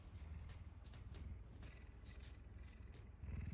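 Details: Captive puma, affectionate in the morning, giving a deep, steady, throbbing purr close up, low rumbling pulses continuing without a break.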